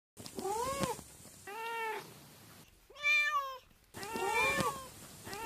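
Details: Cat with an unusual meowing voice: a run of varied, wavering meows over about five seconds, some rising and falling, one clearer and louder in the middle, over a noisy, hissy background.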